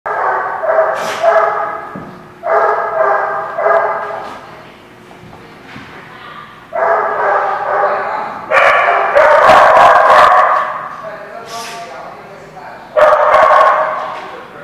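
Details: Dogs barking on June 20, 2016: dense bursts of harsh barks about two per second, some overlapping, in loud spells separated by quieter gaps.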